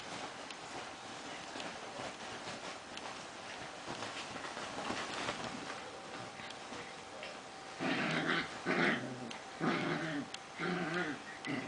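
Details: A Prague ratter playing and making noises: after about eight quiet seconds with a faint background hum, a run of short, harmonic growling and whining bursts follows in quick succession.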